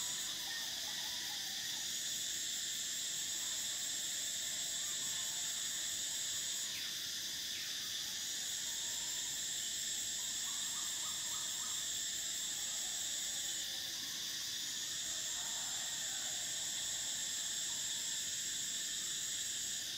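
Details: Loud, sustained shrill drone of summer cicadas, with pitch jumps at intervals and layered lower buzzing, plus brief soft chirps of other creatures in the background.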